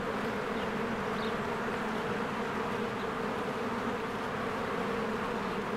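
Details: Honeybee swarms at the hive in springtime: unbroken droning hum of countless wings, steady and even in loudness, with a brief faint high chirp early on over the buzz.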